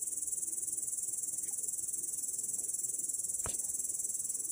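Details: Grasshopper in grass, recorded 18 August 2017: a continuous thin, high buzzing trill with regular rapid pulsing, interrupted once by a sharp click.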